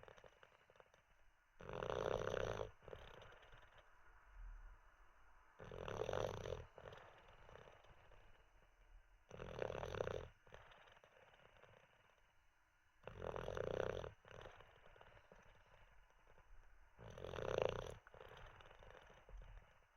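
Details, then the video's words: Teddy, a sleeping Olde English Bulldogge dozing after treats and a wee, snores in loud rasping bursts about every four seconds, each roughly a second long, with quiet breathing between them. "Six minutes of a snoring olde English bulldog"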